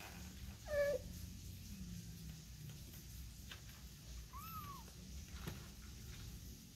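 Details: Kitten taken out and brought back in with its mother, indoors; two separate meows, the first short and low with bright overtones, the second a higher arched rise-and-fall cry, over a steady low hum and soft knocks.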